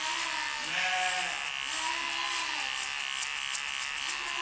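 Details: New breeding ram in Indonesia being shorn with electric clippers before entering the pen. Wavering, harmonic bleats rise and fall three times over a constant high buzzing of the shears.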